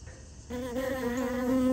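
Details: A honey bee at a free meal of sugar water in a piece of honeycomb; after a short quiet moment, a loud, even, low buzz starts abruptly and holds steady, growing slightly louder to the end.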